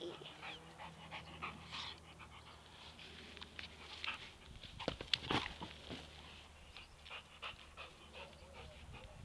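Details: A Labrador Retriever playing soccer with his ball pants and snuffles in quick, breathy bursts, with sharper knocks scattered through.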